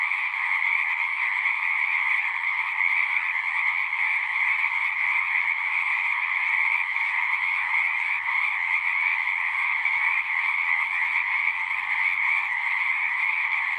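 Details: A dense frog chorus at a pond in a horse pasture: many voices blend into a steady, trilling drone with no pauses; frogs quiet when approached, distant ones audible across the pasture.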